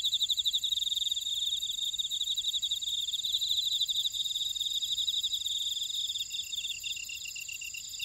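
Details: Grass insects in a buckwheat field at Ora-dong, Jeju City, on volcanic Jeju Island, South Korea: rapid pulsed trills over steady high ringing tones, with a second lower, slower pulsing caller joining near the end.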